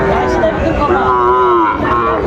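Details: A Sahiwal bull calf lows at a Bangladeshi cattle market in Bagerhat: one sustained, smooth moo swelling then easing off over about a second, with people talking behind it.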